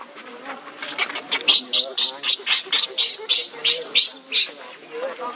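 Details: Leo, a monkey, cries on the ground while another monkey, Libby, torments him: harsh, breathy wails pulse rapidly, about four bursts a second, over a thin whimpering tone that wavers between them.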